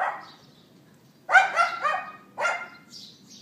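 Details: A neighbour's dog yapping outdoors at 11:31 AM on April 18th 2012, recorded on an iPhone 4S: a sharp double bark, then a single yap a second later, with faint high bird chirps in the background.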